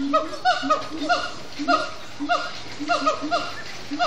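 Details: Short stretch of siamang gibbon song at sundown, Disney's Animal Kingdom: a few loud, wavering hoots with slight upward and downward pitch bends, spaced irregularly, each ringing with stacked overtones.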